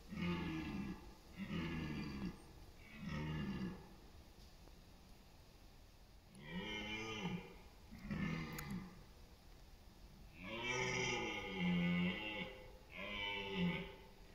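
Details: Red deer stag bellowing in the rutting season, East Serbia, late September autumn, competing for dominance and mates; a series of about seven deep, rough, grunting roars, each one to one and a half seconds, separated by short pauses.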